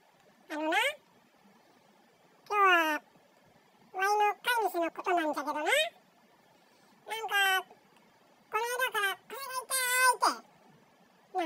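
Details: A male Bengal cat talks to himself indoors, giving a string of drawn-out, rising-and-falling meows in a quiet room.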